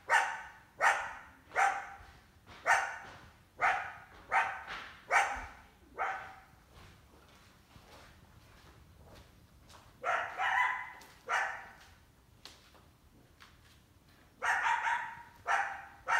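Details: Coyote hunting a family's indoor cat in summer, a big pup with her; a rapid series of barks for six seconds, a quiet pause, then further spaced barks and a final cluster.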